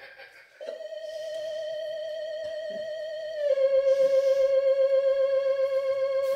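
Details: A wavering theremin-like tone holds one pitch, then steps slightly lower and pulses rhythmically, with a hint of speech; no animal sound is present.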